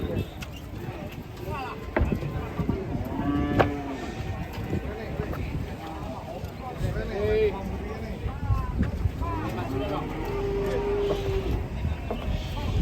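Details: Cattle during a failed attempt at loading, giving several short, steady moos spaced a few seconds apart, half-buried under people chattering and faint background music.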